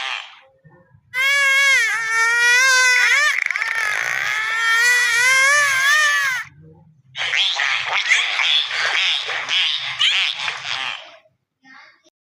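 A dolphin gives a long wavering whistle, then a rapid buzzing burst of clicks.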